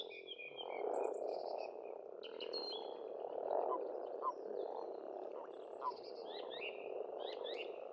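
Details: Continuous croaking from many frogs at a pond in Estonia during spring, swelling slightly near the middle; a few bird whistles and short trills sound above it.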